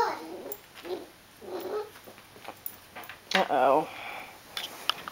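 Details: A 9-week-old female dachshund puppy gives short, rough, high-pitched growls in bursts while attacking a ball, with a person speaking briefly.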